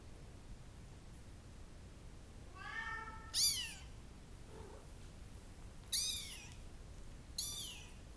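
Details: Meowing from young Bengal kittens in brown and blue coats: a longer level meow, then three sharp rising-and-falling squeals spaced a few seconds apart, with a short soft squeak between, in a quiet room.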